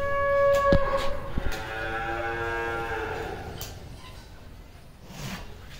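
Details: Cattle in Bangladesh giving a drawn-out, rich lowing moo that slides gently downward over about two seconds, followed by quieter rustling and background noise.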